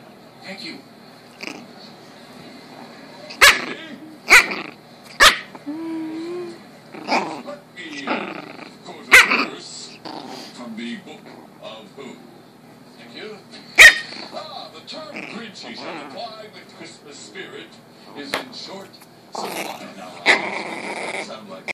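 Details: A 7-week-old chihuahua and pekingese mix puppy, angry, gives sharp high yaps and little growls in irregular bursts, with several loud snapping barks, amid people talking and laughing in the background.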